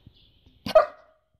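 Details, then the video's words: German Shepherd dog giving one short bark, a brief broadband burst with a bright tonal core, in an otherwise quiet room. "GERMAN SHEPHERD BARKING - GERMAN SHEPHERD HOWLING AND BARKING COMPILATION"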